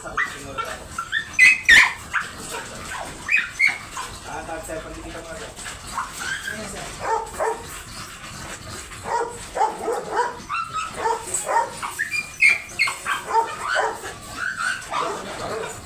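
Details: Dobermann dog at a stud service in Bunuan, Dagupan City, Pangasinan; brief high squeaky whimpers and whines come in scattered bursts, with people talking over much of the recording.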